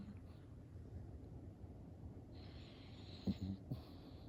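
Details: Cream-coated baby poodle asleep and snoring: a soft low-pitched rumble, then an airy hissing breath in the middle, followed by a few short soft snorts near the end.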